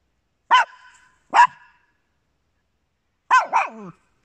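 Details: A household with Papillons and a Yorkshire Terrier: two short, bright barks close together, a pause, then a double bark that drops into a rough, lower tail.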